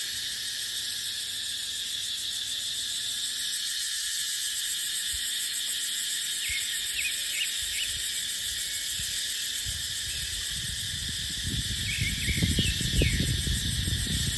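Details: Cicadas drone shrilly and without break in a dipterocarp forest during the dry season. A few thin bird chirps sound midway, and low rushing gusts of wind rise toward the end.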